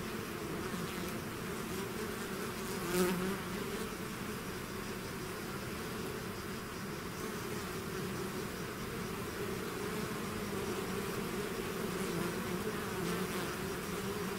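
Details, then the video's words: A swarm of bees outside its hive produces a constant, full-bodied buzz, one individual bee zooming close and loud around three seconds, the drone otherwise even. "bees therapy swarm natural buzzing sound"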